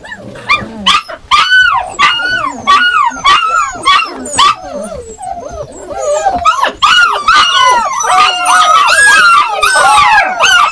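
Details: Yakutian Laika giving a run of sharp rising barks roughly twice a second, shifting into longer howling yelps and a dense chorus of overlapping voices toward the end.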